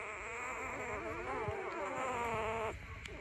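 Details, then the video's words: A puppy whining in the morning, a continuous quavering cry that wobbles up and down in pitch for nearly three seconds, then breaks off abruptly. "Dog whiningsound effect . Puppy dog crying at morning"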